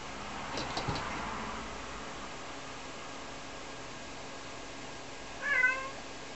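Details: Rara, a two-year-old Ragdoll cat indoors in a small house, calls when she can no longer see her owner, who is doing laundry. One short, harmonic meow rises then falls near the end after quiet room hiss and faint bumps.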